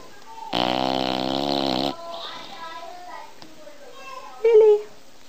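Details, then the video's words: One rough, droning snore from a sleeping Bulldog, about a second and a half long, followed by faint murmuring voices and a brief louder tonal sound near the end. "Bull dog snoring"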